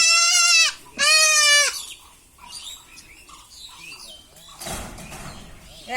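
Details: Goat kid, stated to be about one month and ten days old, bleating during castration: two sharp, loud bleats in quick succession, followed by a man speaking and handling noises.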